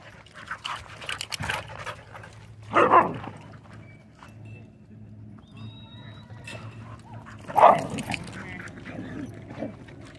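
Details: Pit bull mix with rare colors visiting a dog park: two loud, sharp single barks about five seconds apart, with quiet background rustling and faint murmurs between them.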